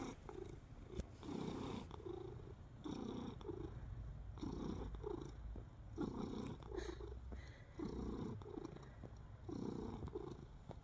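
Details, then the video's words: Contented domestic cat purring as it kneads, recorded close indoors; steady low rumbles swell and fade in regular breaths roughly every second and a half, with faint rustles and clicks between. "Cat Purring ASMR plus Biscuits"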